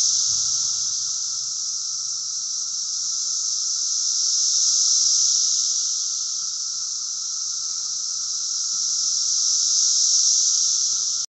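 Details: Cicadas, recorded about 40 feet from the tree branches at an 80 dB sound reading, give a loud, unbroken electric buzz that swells and fades slowly in waves.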